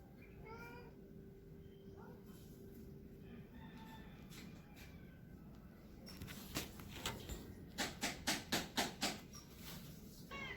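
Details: A male Persian cat trying to find a mate gives short, tonal, harmonic mews near the start and again at the end, with a quick run of sharp, evenly spaced clicks or knocks between, over a faint steady hum.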